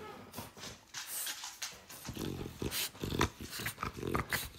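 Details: Dog indoors giving short, rough bursts of sound in a cluttered household setting, with a few brief clipped tones mixed in and some faint human speech nearby.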